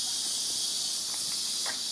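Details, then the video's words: Cicadas in the jungle in Guadeloupe in summer fill the air with a steady, high, hissing drone that never pauses. "C'est les cigales qu'on entend."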